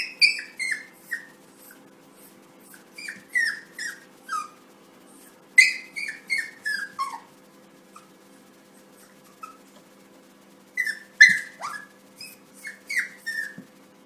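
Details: Suzy, a Yorkshire Terrier puppy reacting indoors to its own reflection in a mirror as if it were another puppy. It gives repeated high, falling whines and yips in quick clusters of three to five, with short pauses between bursts, in a quiet room.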